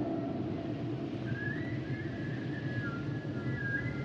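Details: Humpback whale song: thin high tonal whistles gliding gently up and down, drawn out over a few seconds, above a dense low rumbling underwater wash.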